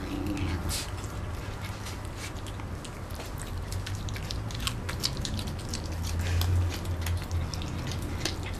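Rapid, uneven chewing clicks and smacking bites come from a Canadian Sphynx cat as it eats. A steady low hum from the room runs underneath throughout.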